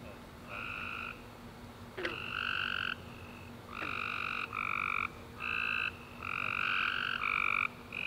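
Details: Night chorus of tree frogs following a warm, rainy summer day, several callers trading rapid trilled chirps in quick bursts, one after another, over a faint steady low hum, with a couple of sharp clicks.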